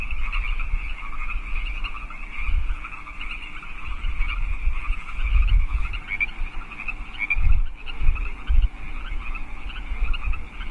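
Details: Chorus of wild frogs in California Park at 8 PM on March 15, 2014, a continuous mass of overlapping raspy croaks and trills, with low background rumble that swells occasionally.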